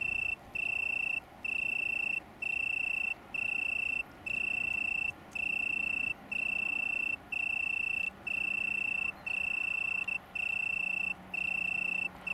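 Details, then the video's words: Oecanthus pellucens, Italian tree cricket, on downs near Brighton in the UK, 21 September 2019; a sweet continuous purring trill delivered in regular segments with quick silent breaks, plus a soft low drone in the background. "Italian Tree Cricket, UK"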